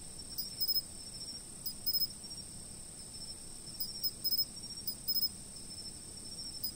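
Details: Insects heard from a fixed camera: soft clusters of quick, very high ticking chirps arrive in small bursts every second or so over an unbroken, piercing high drone and faint low rumble.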